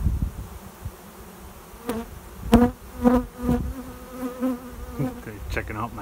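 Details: Honey bee swarm arriving at a swarm trap behind a garage, a cloud of bees flying overhead toward a new home; low droning buzzes swell and fade in repeated bursts as bees pass close, with quiet gaps between.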